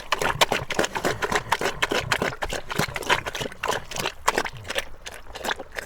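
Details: Pig (Sus scrofa domesticus), eating sounds.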